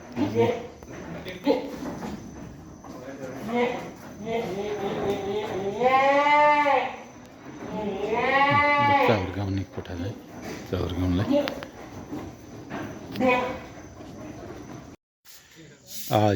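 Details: Boer goats at Annapurna Farmers Farm in Pokhara give two long, wavering, nasal bleats in the middle of the recording, each rising then falling, while people talk throughout.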